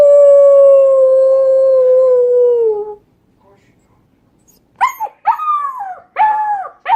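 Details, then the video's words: Puppy learning to howl: one long, clear, steady howl that sinks at the end, a brief silence, then four short, bent, yelping howls. "Cutest Puppies Learning to Howl"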